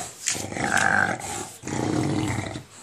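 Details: Indoor English Bulldog making a monster-like growl while playing with a ball: two sustained rough grumbling bursts, each about a second long, separated by a short pause.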